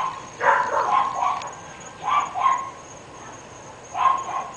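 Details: Barking from three dogs at a residence in North Bay Village, out of sight; a run of rapid barks followed by two shorter paired bursts a second or two apart, over a faint high hum.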